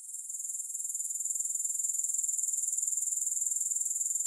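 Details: High, rapidly pulsing grasshopper trill that swells from quiet to full strength within the first second, then continues evenly; nothing else audible.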